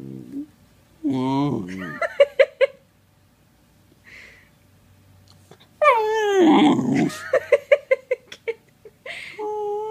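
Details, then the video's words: Hilo, a Sheprador puppy (Australian Shepherd-Blue Heeler/Lab mix), indoors during play: drawn-out whiny, yodel-like moans that rise and fall, gravelly growling grumbles and short snappy clicks, in loud bursts separated by a quiet gap. "Lab puppy making hilarious noises"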